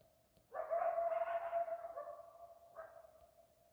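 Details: Coyote howling in Arizona: a single loud sustained howl holding a steady pitch and slowly fading, with a short second rise near the end.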